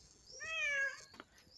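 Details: Playful house cat voicing one clear meow that rises slightly then falls, lasting under half a second, followed by a brief click.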